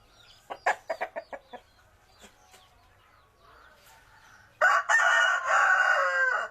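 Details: A village fighting cock gives a quick run of sharp clucks, then a pause with faint murmuring, and finally a loud, sustained, strained crow lasting about two seconds that ends the recording.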